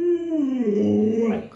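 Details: Pet Alaskan Malamute at home with a small child: a single drawn-out whining howl that starts higher and slides downward before tailing off, with soft voices nearby.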